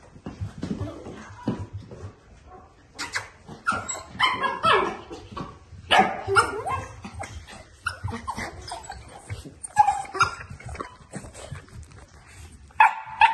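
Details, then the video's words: Shetland Sheepdog, with a puppy theme, giving a busy run of overlapping high yips, whines and short barks that come in quick bursts with hardly a pause. Several voices may be mixed. "Shetland Sheepdog"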